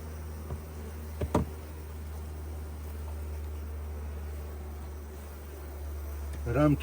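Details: Honey bees in a hive opened to take honey, with frames heavy from their work; a low, steady droning hum runs throughout, broken by a few sharp knocks and a brief human voice at the end.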